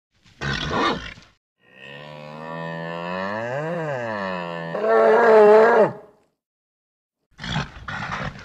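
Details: Series of bellows from a nervous bull. A short harsh burst leads into a long moo that climbs and then falls in pitch, ending in a loud level bellow, followed by rough grunting calls.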